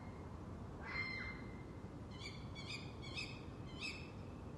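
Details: A red fox screams at night, a baby-like sound: shrill, harsh screams, one drawn-out cry followed by several short yelps, used to communicate during the mating season.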